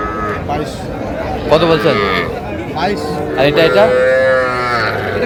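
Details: Sahiwal bull and heifer calves at a Faridpur cattle market in March: two short bawling moos break through buyers and sellers talking and haggling over prices, amid constant market chatter.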